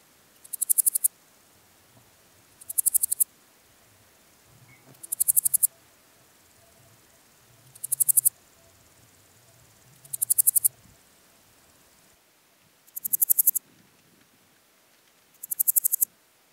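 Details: Styrian Golden Grasshopper (Podismopsis styriaca) singing at Zirbitzkogel, Austria, on 5 September 2019: short high buzzy bursts of rapid pulses, each about half a second, repeated roughly every two and a half seconds, seven phrases, quiet low background.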